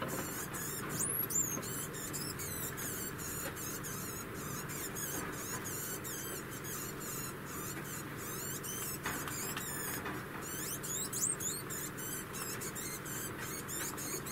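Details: Song of a female degu roughly a year old: dense, almost continuous strings of shrill, fluttering chirps, thinning slightly midway before picking up again, over faint background hum.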